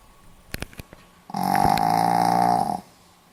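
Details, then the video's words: Pomeranian asleep and snoring, 4 November 2015. A few soft taps and clicks come first, then a single drawn-out rasping snore of roughly one and a half seconds, even in loudness, fading into silence. "ポメラニアン 犬のいびき"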